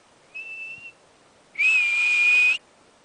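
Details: At Berg Lake, Mt Robson, Alberta, Canada, a confused marmot being spoken to: a softer, thin short whistle followed by one loud, steady, shrill whistle lasting about a second.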